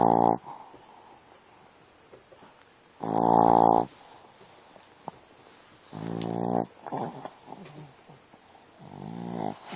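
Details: Dog asleep and snoring, with three strong buzzy snores spaced about three seconds apart and a fainter, broken one near the end, softer wheezy breaths in between.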